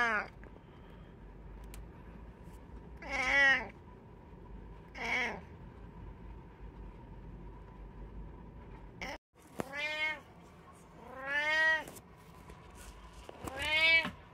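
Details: Indoor cat, one of three in the household, on 21 September 2023, meowing repeatedly: short arched meows, then after a brief gap louder, longer drawn-out meows roughly every two seconds over a low background hum.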